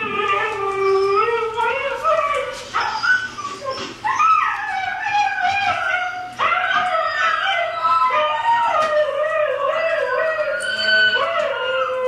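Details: Pet dog singing along to recorded husky howls, producing long, wavering, sliding howls that rise and fall, with several voices overlapping and continuing almost without a break.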